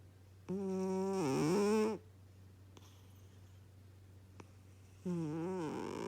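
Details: Ralph the cat snores: a drawn-out buzzy breath of about a second and a half, quiet, then another snore beginning, with a faint steady hum beneath.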